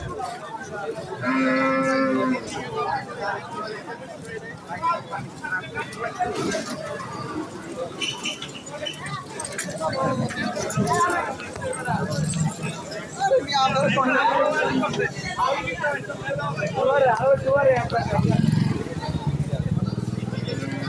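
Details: Cattle at a cattle market, with low, drawn-out moos rising out of a steady din of crowd chatter and market noise.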